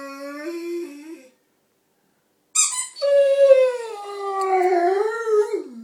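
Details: Rhodesian Ridgeback howling with a squeaky toy: a short level howl, a pause, a sharp squeak, then a longer wavering howl that drops in pitch at the end.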